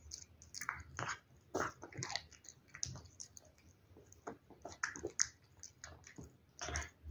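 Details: A pet cat chews wet food in a small room; moist, clicking bites come in quick uneven clusters, some louder smacks standing out between short pauses.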